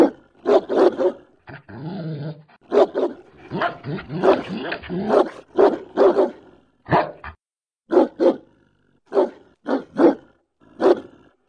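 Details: German Shepherd giving a long series of sharp, deep barks, mostly in twos and threes, broken early by rough growling and whiny, wavering sounds before the barking resumes in steady bursts.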